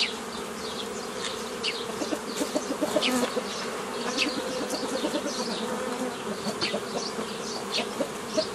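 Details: Honey bee colony droning as nuclei are formed from a forager swarm by the old method, 15 May 2018; a dense steady buzz with slight pulsing persists, with many short high chirps from other creatures scattered above it.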